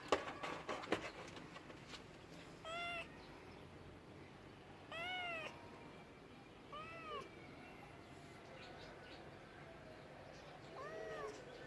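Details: Cat meows, short arched calls spaced a few seconds apart, preceded by a burst of clicks and knocks at the start, with low background hiss.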